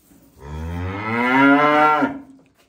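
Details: A calf lets out one sustained moo of about one and a half seconds, rich in harmonics, holding steady and then dropping off at the end.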